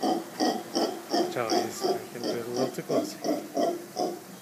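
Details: Several mantled howler monkeys, called Congo monkeys, calling outside a room at Playa Hermosa, Costa Rica: a run of hoarse, rhythmic grunts at nearly three per second, rising and falling in strength, with a faint human voice.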